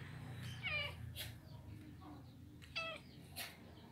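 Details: Domestic cat in the daytime at a cat grooming and boarding house in Sleman, Yogyakarta, Indonesia, giving two short, bright meows that fall in pitch, about two seconds apart, with soft clicks and quiet indoor room noise between them.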